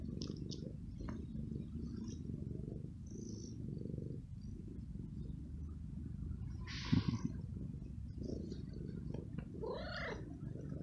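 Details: Very young male stray kitten living on the street, after being fed; a steady low rumbling purr-like texture runs throughout, with a short rising-falling meow near the end and a brief sharp noise in the middle.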